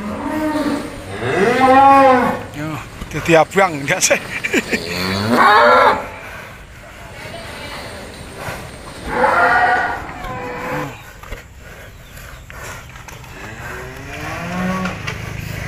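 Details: Bull raging while training, bellowing in rising-and-falling moos. Two strong calls early are followed by another near the end. People talk and noise runs underneath.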